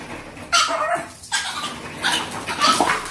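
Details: Female pet dog that spins and makes an annoying noise whenever she hears a strange sound; several short whining, yelping cries with a thin tonal whistle, separated by brief pauses, indoors.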